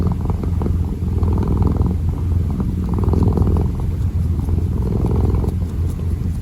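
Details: A kitten kneads and purrs, the low steady rumble pulsing with each breath, about five inhale-exhale swells over a few seconds in a quiet indoor setting.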